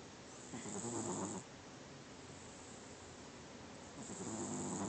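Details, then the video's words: Domestic cat snoring in its sleep: two rough, rattling breaths about three seconds apart, with airy hiss on top and a low buzzing core. "Snoring cat"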